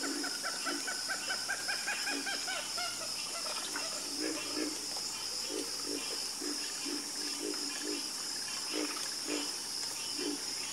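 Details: Frogs in a night chorus give steady trains of short, rattling croaks, roughly two or three per second, with overlapping callers and a continuous insect whine above.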